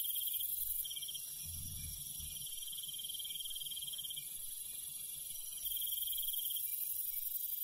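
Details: On a countryside night, crickets chirp steadily in a high, continuous shimmer of pulsed trills.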